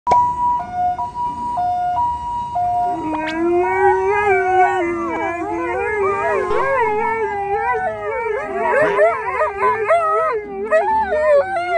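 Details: Two Alaskan Malamutes begin howling as an ambulance siren passes. The siren's alternating two-tone wail opens the recording, then a deep, wavering howl and a higher one join in a sustained duet lasting about eight seconds.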